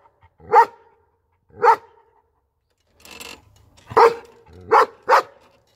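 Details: German Shepherd barking: loud, harsh single barks at irregular intervals, two spaced barks, a brief pause with a low rumble, then a quicker run of three barks.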